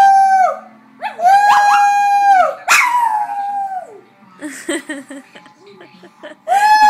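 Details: Male dog giving loud howls that swoop up then hold steady, followed by a stretch of softer, broken whines and mixed vocal noises before one more howl begins at the end.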